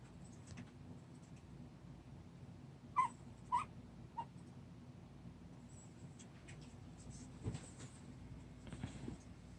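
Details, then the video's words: A 26-day-old puppy, settling down to sleep, lets out two short, high whimpering squeaks about half a second apart, then a fainter third, over a steady quiet indoor hiss with light rustling. "강아지 말"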